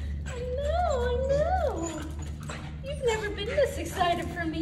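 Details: A corgi reunited with its owners after time away at dog training whines in long, wavering, rising-and-falling tones while a woman talks warmly, saying she missed it too.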